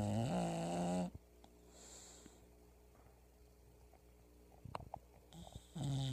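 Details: Pebbles the English bulldog asleep and snoring loudly, a gravelly, low snore ending at the start, a faint airy breath, a few soft knocks, then another deep rasping snore beginning near the end.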